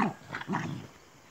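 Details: Purebred Pyrenean Mountain Dog puppies, born 5 October 2018, give short, low yips and whines while playing after being fed.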